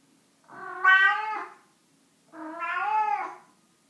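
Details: Domestic cat making two drawn-out, whining meows about two seconds apart, each swelling in loudness then fading, in a quiet room.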